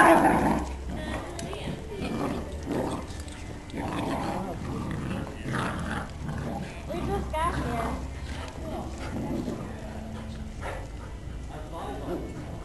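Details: Ibizan hound puppy Jasper meeting other dogs at Piedmont Park; short dog vocal bursts, whimpers and barks come in irregular bouts over steady low outdoor rumble, with people talking nearby.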